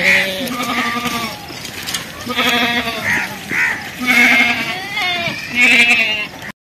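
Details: Young goats calling for their mother with strained, nasal bleats, each held about half a second to a second, repeated in uneven succession by more than one animal, with faint outdoor noise between calls.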